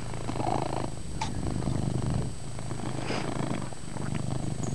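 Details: Indoors, the pet cat Chase gives a loud, sustained purr, a low vibrating hum with quick regular pulsations, broken by brief soft rustles and a light scratch or two.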